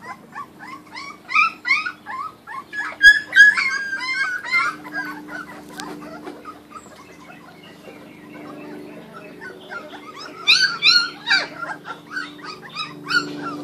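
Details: Raw-fed Kuvasz puppies from a 2013 litter at mealtime give bursts of rapid high squeals and whines, a quieter lull in the middle, then another flurry of yelps near the end over a low background hum.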